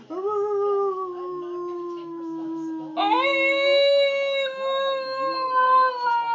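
A wolf gives long, smooth howls, holding a low steady note before a second voice rises higher.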